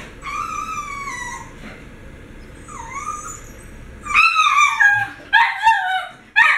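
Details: Pet dogs excited before mealtime, one whining in long falling high-pitched cries, then louder yelping whines with sharp breaks in the last two seconds; faint background hum.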